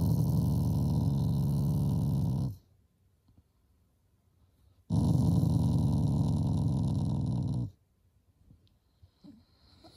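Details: Shiba Inu dog growling in affection, not anger, toward its owners: two long, low rumbling growls of about two and a half seconds each, separated by a quiet pause, indoors.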